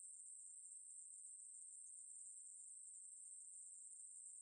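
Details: Ruspolia katydid, in 2020 National Institute of Biological Resources material, producing a level, piercing hiss-like buzz, continuous and unvarying from start to finish, nothing else audible.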